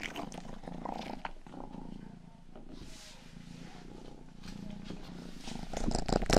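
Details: Rang-i, the youngest of the household cats, purring during an ASMR ear-grooming session: a low, steady rumble with soft pulsing throughout, wet licking clicks and rustles scattered over it, growing louder near the end.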